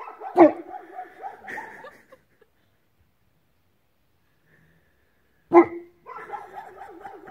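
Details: Newfoundland Bernie, newly arrived in a Belarusian village, barks at the sunrise: a single loud, deep bark followed by a drawn-out, wavering harmonic sound, a long pause, then another bark with a similar trailing tone.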